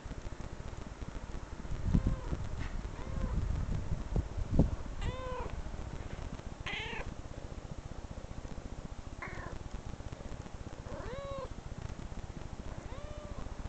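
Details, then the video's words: Domestic cat meowing in recordings played back from online videos indoors; about six distinct arched, nasal meows every couple of seconds, with some thumping early on and a low steady hum beneath. "cat meow"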